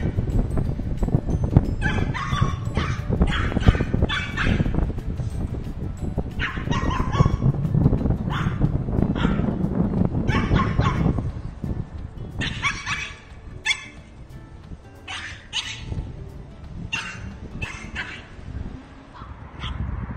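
A small dog, a Shih Tzu, barks in short, bright bursts that come in clusters, with a few drawn-out whining notes between them. A steady low rumble, possibly faint music, runs underneath throughout.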